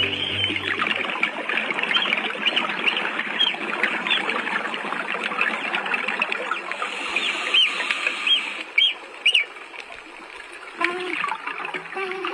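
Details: A dugong calls in the sea, recorded in 2019: brief high chirps and rising squeaks above steady crackling underwater noise.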